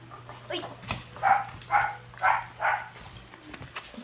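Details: Female red Shiba Inu puppy born on 23 June yipping: four clear, high, squeaky barks in quick succession at about half-second intervals, preceded by a fainter yelp and quiet background hum.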